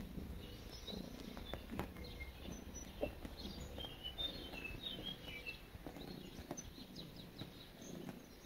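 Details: Purring cat kneading, steady low throbbing bursts repeating roughly every second, accompanied by scattered light bird chirps in the distance.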